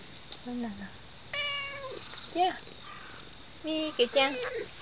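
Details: Domestic cat meowing affectionately to its owner who is going out, as if pleading 'don't go'; several short harmonic meows, some falling in pitch, with a pause and then two closer meows near the end, in a quiet indoor setting.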